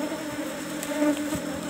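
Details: Asian honey bees (Apis cerana) at cultivation box number 17 during a honey harvest. A steady low buzz with humming bands rises and falls in loudness, with brief soft clicks and handling noises.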